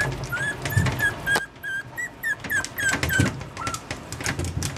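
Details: Yorkshire Terrier puppy whimpering: short, high, slightly rising squeaky whines repeated several times a second, with thuds and rustling handling noise underneath.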